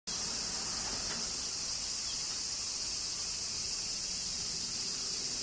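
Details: Cicadas during summer rain in Kyoto, Japan: a dense, unbroken high shrill buzz holds steady throughout, with a faint low rumble beneath and little else audible.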